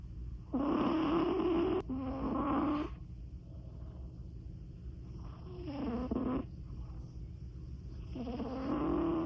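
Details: A Persian cat snores loudly: two long, harsh, buzzy snores in quick succession, a pause, then further drawn-out rasping breaths, over a faint low hum.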